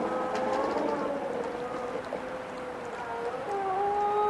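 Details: Wolves howling together: several long, smooth, wavering tones overlap, sliding slowly up and down, with one voice dropping lower near the end, over a steady rushing hiss.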